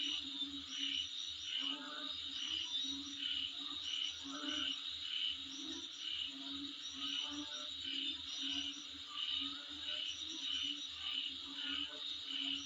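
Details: Insects calling outside a home: a steady high shrill band with rapid pulsed chirps layered on top, repeating roughly every half second, over a low regular throbbing pulse, possibly other animals calling alongside.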